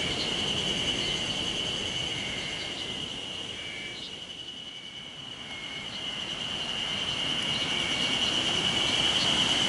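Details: A cicada in Sawauchi, Nishiwaga, Iwate, Japan, on 26 May 2019 gives a steady, high buzzing drone that thins briefly in the middle before swelling again; the recordist notes cicadas calling surprisingly early in May.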